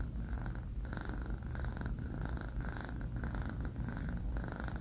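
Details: Short stretch of a sleeping male kitten, Banh Mi, four months old, snoring with a soft, deep purr-like rumble and regular breath pulses indoors.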